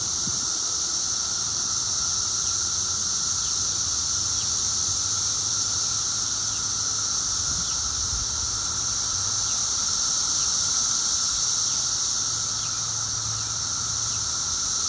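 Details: Chorus of 17-year periodical cicadas two weeks after emergence, at peak loudness: an unchanging piercing hiss over a lower whine, with a faint low hum running beneath for much of the time.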